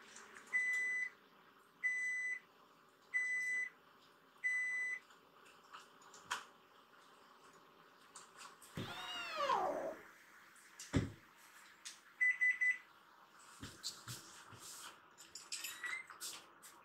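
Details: Foster kittens Mo, Ash and Hana, rescued baby cats indoors, crying to be let out of their room onto the sofa; a loud arching meow rises and falls mid-clip after a run of regular electronic beeps, with thinner high mews near the end.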